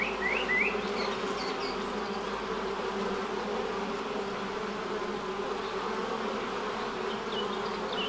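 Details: Honey bees buzzing at the hive entrance as they fly in and out: a steady, dense hum with a low drone band, a few faint high chirps from distant birds early on.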